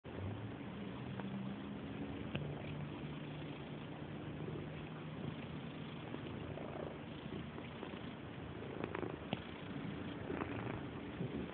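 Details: Female cat purring very loudly while rubbing, a continuous low rumbling purr with steady rhythm throughout.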